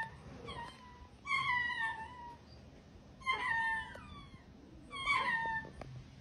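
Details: Baby hyena giving a series of squealing, harmonic-rich calls, each falling in pitch and lasting about a second, repeated roughly every two seconds, four calls in all over a quiet background.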